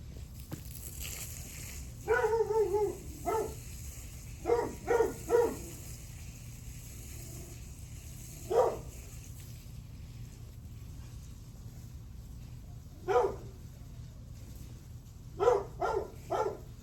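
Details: {'caption': 'Dog on July 9, 8:38 in the morning, barking in uneven bursts: a rapid cluster of harsh barks, then scattered single woofs and a final quick trio over a constant low hum.'}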